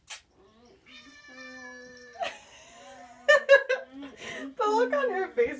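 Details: Pet cats meowing for food in a kitchen, expecting moist food: long, drawn-out, steady-pitched meows, then shorter wavering cries overlapping a woman's voice talking to them.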